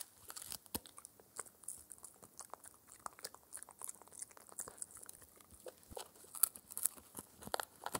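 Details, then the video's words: A four-month-old Shetland Sheepdog named Spencer chews a raw air-dried ear as his daily dental treat. Sharp biting clicks and crunches are spaced unevenly, some loud single snaps among softer gnawing, with no voices. "ASMR Puppy Dog Eating Raw Ear (Lamb Venison Beef or Pork) Oddly Satisfying Chewing Sounds"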